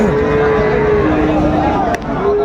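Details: Sahiwal bull calves at a livestock market in Raniganj, Dinajpur, Bangladesh, on 27 March 2025: a long drawn, level moo followed by a second lower bellow, over loud crowd chatter and bargaining voices.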